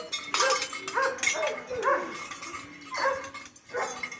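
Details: Litter of German Shepherd puppies, liver and tan and black and tan, letting out about five short, sharp yelps and squeals spaced roughly a second apart, with faint background noise between.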